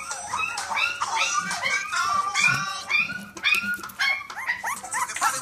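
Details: A litter of blue pied Staffordshire Bull Terrier puppies in a kennel whimper and yelp together in a dense chorus of high, wavering cries.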